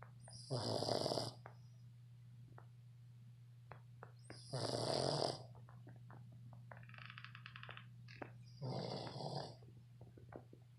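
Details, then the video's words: A 7-month-old red Boston Terrier snores while sleeping, in loud, rasping bursts about every four seconds. "Boston Terrier snoring"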